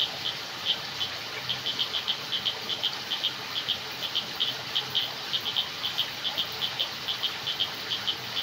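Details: Crickets chirping in jungle darkness: bright, clipped pulse trains recurring steadily every half second or so, high-pitched and even, above a low hiss.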